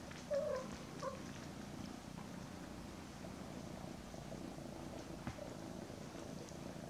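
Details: Mother cat hugging her kittens Daisy and Aragon, almost 10 weeks old, indoors; steady low rumbling purr throughout, with a short high squeaky mew near the start.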